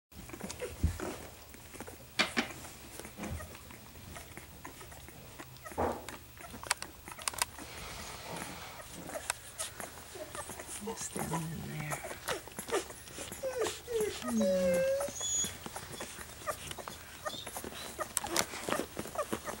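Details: Two-week-old newborn puppies cuddled up to their mother while nursing, with soft wet suckling and patter sounds throughout and a few short, high, thin squeaks clustered near the end.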